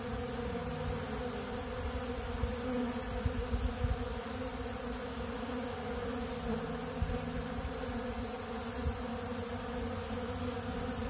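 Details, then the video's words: Many honeybees gathered at a big blue pollen feeder stocked with ultra bee pollen; constant deep buzzing hum, steady in level, with faint close passes of single bees adding short rising whines. "Therapeutic Treatment Sounds Of The Honeybees"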